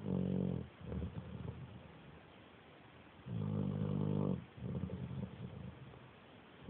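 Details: Pet dog asleep, snoring like a little pig: low rumbling snores in roughly one-second bursts, a long buzzy one then a softer rasping one, repeating about every three seconds with quiet gaps between.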